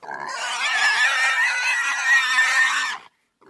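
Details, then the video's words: Pig giving one continuous, harsh, high squeal of about three seconds, rough and noisy throughout, ending abruptly in silence. "SOM DE PORCO"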